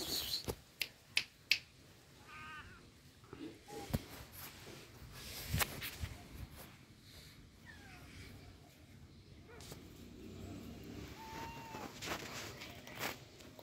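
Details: A cat gives a few soft, short meows, each rising then falling, scattered among sharp clicks and taps over a quiet room background.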